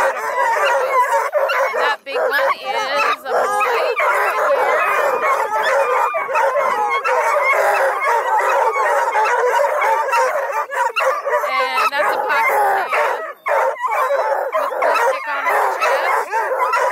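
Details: Bluetick, Redbone and Black and tan coonhounds from an Ontario hound kennel near Kingston keep up a long, loud bout of overlapping bays and yelping howls, broken by a few short breaks.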